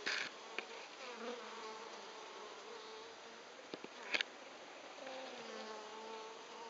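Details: Buzzing of Japanese honey bees: a dense droning hum with gliding tones that rise and dip as insects fly past, and brief knocks around the middle.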